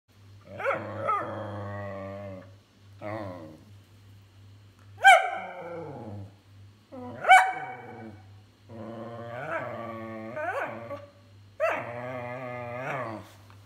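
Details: Whippet whining and complaining: a run of nasal, wavering whines and moaning vocalisations with rich harmonics, some rising into sharp yelping peaks, in uneven bursts over a low steady hum.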